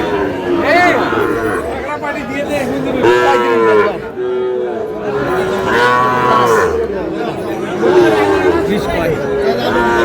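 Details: Sahiwal cattle, a breed of bull bought by a Dhaka farmer at a livestock market, heard as loud drawn-out moos that rise and fall, overlapping again and again through the clip, with crowd chatter and men's voices bargaining around them.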